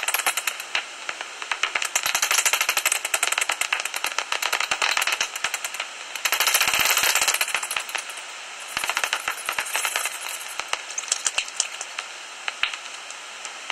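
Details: Common noctules in a roost inside a tree hollow near Ibbenbüren, Germany, just before sunrise on 17 August 2019. Bursts of fast, crackling clicks swell and fade in waves, with short quieter gaps between the rattling bouts.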